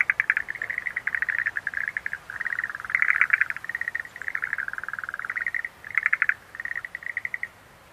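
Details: Rhacophorus schlegelii, Schlegel's green tree frog, calling in rattling bursts of fast pulses, each run about half a second, chorus overlapping steadily with short gaps, soft ambient hiss beneath.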